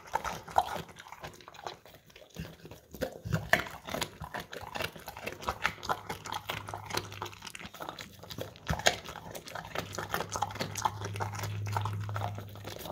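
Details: Steady crunching of carrots from a bowl by an English Cream Golden Retriever, with many rapid bites, a few louder snaps, and a low humming drone in the background.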